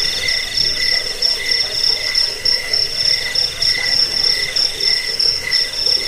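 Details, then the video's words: Crickets calling together, a sound used to scare off rats and to teach song to birds; bright high pulsing notes repeat steadily above a lower band of evenly spaced chirps, with a constant buzzing chorus beneath. "Suara jangkik pengusir tikus pengantar tidur"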